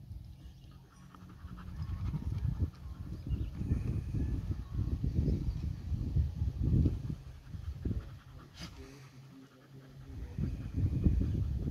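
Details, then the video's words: Play-fighting dogs, Nix a Labrador, Lola a husky/shepherd mix and Happy a dachshund, grunting and growling low with rapid, uneven panting throughout and a brief sharp click near the end. "Lab and Husky mix mangle Dachshund"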